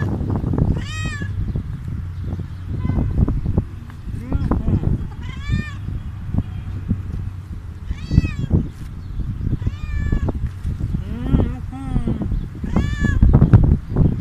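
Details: Stray cat after eating food, meowing repeatedly: about eight short, arched meows every one to two seconds, with people talking and low rumbling noise in the background.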